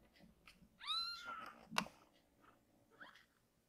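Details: Rescued baby kittens, Azuki and Chami, in temporary foster care indoors, playing under a blanket before falling asleep; one clear rising-then-level meow with bright harmonics lasting about half a second, followed by a sharp thump and a fainter short mew.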